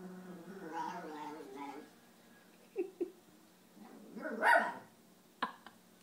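A long, whining vocal sound opens, followed by a few soft clicks. Then an Italian Greyhound lets out a single sharp, high-pitched guarding bark.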